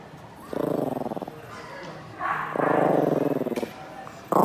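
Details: Yorkshire terrier growling: two bursts of rough, rapidly throbbing growls, each about a second long, separated by a short pause, with a brief noisy sound at the very end.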